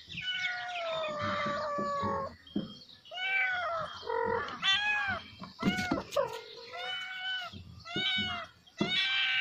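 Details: Kittens calling their mother in a dense run of overlapping meows, high harmonic-rich mews rising then falling, several voices at once, with a brief low purring rumble under the calls.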